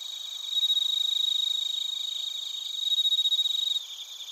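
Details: Bell crickets and crickets singing in Narita, Chiba, Japan, recorded with a TASCAM Portacapture X8. A nearby insect gives loud, fast, evenly pulsed trilling bursts, which then fade back into a steady high-pitched background chorus.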